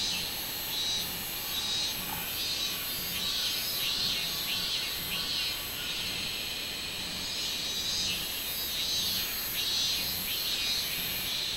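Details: Minminzemi cicada song recorded 24 July 2016, a shrill, sizzling buzz pulsing steadily at roughly seventy beats a minute, the rhythm slightly uneven, over a constant high hiss with no other clear sounds.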